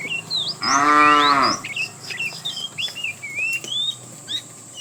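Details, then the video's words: A single short moo, under a second long, from a herd of tame cows roaming the road for food, followed by many chirping birds. "A herd of tame cows, Walking neatly, Roaming the road looking for food, Funny cow sounds"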